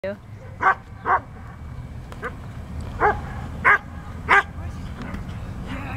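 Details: Standard Poodle, a male, doing Schutzhund bite work in training, giving sharp barks at irregular intervals, about six in six seconds, over low rumbling background noise, with a person's voice nearby.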